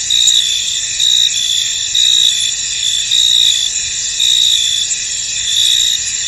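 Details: Crickets chirping in a misty field; a shrill, unbroken insect drone with louder pulsed chirp phrases swelling and fading about every second.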